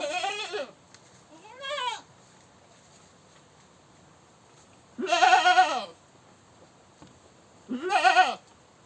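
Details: Goat screaming: four loud, strained bleats with rich harmonics, each rising then falling in pitch, the last two longest and harshest, separated by quiet gaps of one to three seconds.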